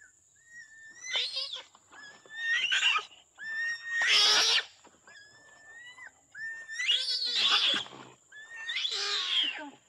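Rising, whistle-like squeaks from an orangutan swell into rough, strained screeches, repeating in uneven bursts every few seconds. A thin, steady high whine runs faintly underneath.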